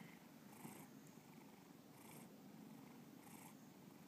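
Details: Bubba the cat purrs steadily indoors, a soft low drone with three airy breath pulses spaced about 1.4 seconds apart.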